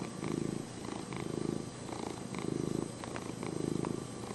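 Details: Lenny the cat purrs in a low, throbbing rumble, the sound rising on each inhale and exhale in slow pulses about a second apart, with a few soft clicks in the background.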